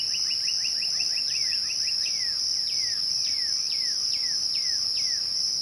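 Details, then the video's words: At twilight, crickets sustain a piercing, level trill while a bird opens with a rapid series of short notes, then sings evenly spaced downward-sweeping whistles. "twilight crickets"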